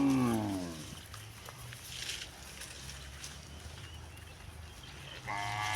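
A cow gives a deep, rich moo that sinks in pitch and fades out. After a few seconds of quiet outdoor hiss, another moo swells up to close the recording.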